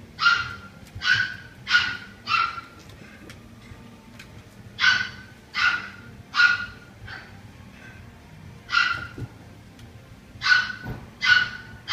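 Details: Male golden retriever puppy born 5 February 2017, kept at a pet shop: short, high yipping barks in quick bursts of two or three, with pauses of a second or more between bursts, over faint background noise.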